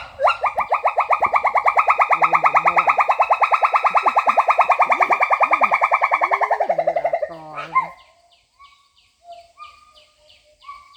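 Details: Wild pileated gibbon in mountain forest, calm and curious: a long rapid bubbling trill of fast pulsed notes runs about seven seconds, holding steady then sliding down, ending in a few short hoots, with faint human voices underneath.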